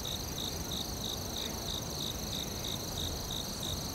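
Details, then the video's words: Forest cricket chorus: evenly spaced short chirps, roughly three each second, layered over a continuous high-pitched ringing trill. "Cricket Sounds ASMR | In the forest"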